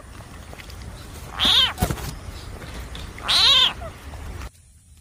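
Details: A frog in a snake-versus-frog encounter gives two loud, wailing cries, each under half a second, nearly two seconds apart.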